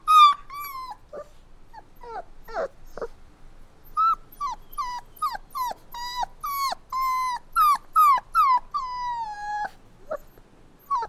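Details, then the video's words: Puppy whining in bursts: a couple of high whimpers, a pause with softer squeaks, then a rapid string of sharp descending cries ending in a long falling whine and a few faint last whimpers. "Cute Puppy Crying Sounds | Dogs Whining"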